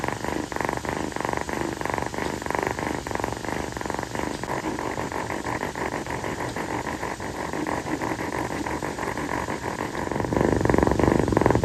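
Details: Kii, a female calico rescue kitten, purring on her owner's feet one night; a continuous low pulsing rumble that grows louder and fuller toward the end.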